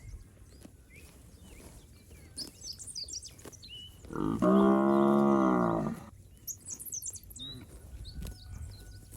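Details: A healthy fat village cow in a herd roaming the rice fields lets out one sustained, steady moo of about two seconds, while small birds chirp and twitter before and after it.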